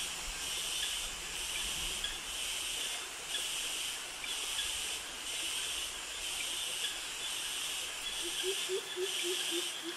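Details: Cicadas call in tropical jungle near mangroves in Krabi, Thailand, where males sing to attract mates. A dense, high hissing chorus pulses about once a second without pause. Low, soft tonal notes from another animal appear near the end.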